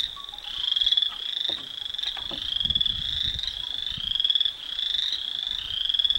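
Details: Frogs calling in the evening, a steady high-pitched pulsing trill that runs without a break, swelling and easing roughly every second, with faint low rumbles and soft knocks in the background.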